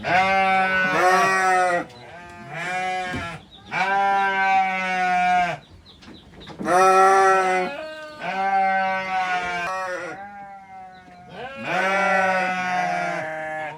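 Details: Kid, mother and father goats on a goat farm calling repeatedly: about seven quavering bleats, some long and some clipped, coming in quick succession with brief silent gaps, several animals apparently calling in turn.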